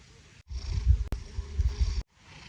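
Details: Domestic cat snoring while asleep and dreaming: low, rough rumbling breaths rising and falling over about a second and a half, with brief gaps before and after.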